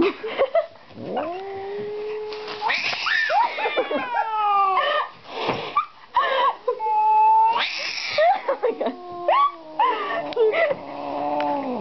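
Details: Calico, a pet cat that gets angry around strangers: long, wavering yowls and drawn-out moans rising and falling in pitch, with brief human speech between the calls.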